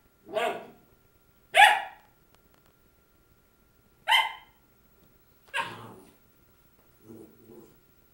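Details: Young labradoodle Krystal barking at her own reflection, January 6, 2009: four spaced, sharp puppy barks, irregularly timed, followed by a soft low grumbling double whine.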